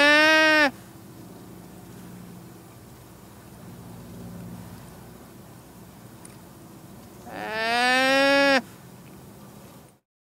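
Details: Llama giving two nasal, harmonic cries about seven seconds apart, each lasting about a second with a gently arching pitch; a faint low hum fills the quiet gap between them.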